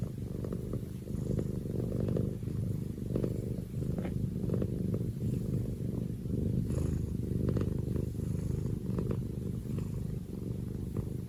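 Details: Domestic cat purring up close, a deep, even rumble pulsing in slow breaths across the whole stretch, with occasional light ticks and rustling, no other voices.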